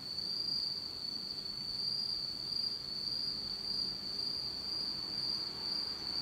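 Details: On a dark autumn night in Japan, insects keep up a constant piercing high trill with slight wavering loudness and a faint higher overtone.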